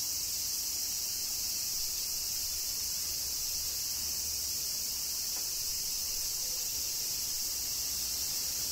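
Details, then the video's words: Cicadas singing in summer rain in Kyoto, Japan: a dense, unbroken high shrill hiss that holds steady throughout, with no distinct separate calls. "Cicadas Summer Rain - Zen Sounds of Kyoto, Japan"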